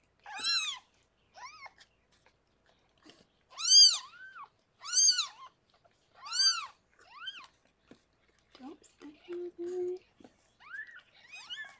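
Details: Harlequin, a rescued cat, gives birth to six kittens in an indoor foster room; shrill arching mews come in a repeated uneven series, loud then fainter, with a brief low steady murmur near the end.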